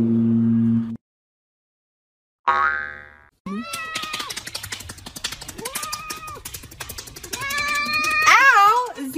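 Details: Domestic cats in a funny compilation, one biting; several drawn-out, arching meows rise and fall over a busy musical backing with strong rhythmic beats, plus a brief sharp cry near the start.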